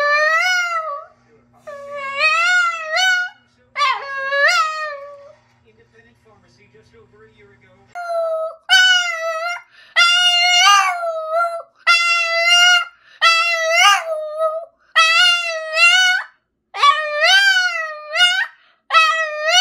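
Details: Boston terrier named Boston, an exceptionally vocal dog, singing in a series of long wavering howls with rich harmonics, each dropping then rising in pitch, separated by short pauses; a brief quiet stretch with low hum midway.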